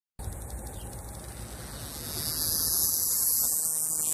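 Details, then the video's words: A male scrub cicada, believed to be Diceroprocta cinctifera, sings in southern New Mexico with a high, hissing buzz that drones steadily and swells louder partway through; its intensity distorted the phone mic. "Song of the Cicada"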